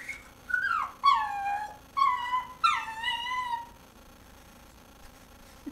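A dog whines four times in quick succession, each cry starting high and sliding down into a nasal, ringing tone. The whining comes from wanting a bone another dog is chewing.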